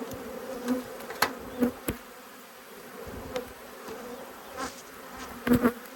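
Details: Agitated honey bees from two angry hives under inspection, recorded 5 March 2022 in Australia. A continuous swarm drone sits under louder passes of single bees and several sharp knocks from the hive equipment.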